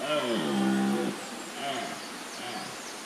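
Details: Red deer stag roaring early in the morning while still dark at Wildpark Gersfeld in the Rhön, filmed on a GH4. A deep, harmonic bellow lasts about one second, followed by fainter, lower grunting roars.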